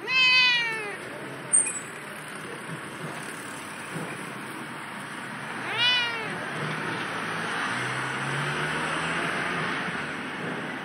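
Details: Familiar cat in an unusual spot outdoors, giving two harmonic meows, each rising then falling, about six seconds apart, over a steady hum of passing traffic and engine noise.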